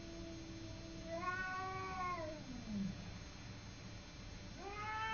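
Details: Simba, a cat, fighting with a neighbour cat: long drawn-out yowls with stacked harmonics, one wavering howl sliding down in pitch over a second and more, then a fresh rising wail starting near the end.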